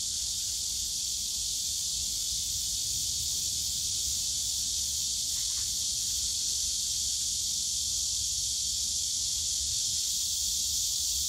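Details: Summer cicadas in the Yongsan Family Park bamboo forest sing as a loud, uniform, high sizzling wall of sound, with one brief buzzy stutter partway through.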